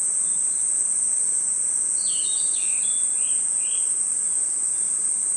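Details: Crickets and insects chirping in a forest at night: a constant high, thin whine underlies a quick run of short falling chirps between two and four seconds.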